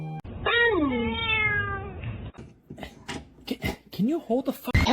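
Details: A kitten gives a drawn-out meow with a falling, harmonic-rich tone lasting over a second, followed by people speaking and a short rising squeak.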